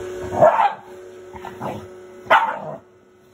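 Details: Shiba Inu named Fuku, a pet dog, giving three short barky yelps over about three seconds, the first and last loudest, with a faint steady hum in the background.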